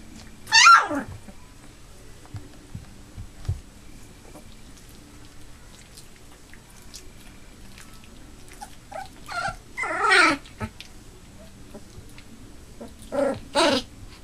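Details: Three-week-old Labrador Retriever puppies, eight in a litter, indoors with eyes newly open and starting to walk; a sharp descending whine opens, then two more high whimpers around ten and thirteen seconds, with quiet shuffling between.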